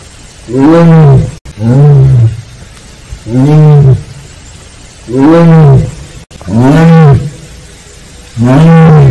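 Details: Captive Siberian tiger of the Penza family at Seoul Grand Park, Korea, calling "aung": low, rounded moaning calls that rise and fall, about one second each, coming roughly every two seconds in a steady sequence.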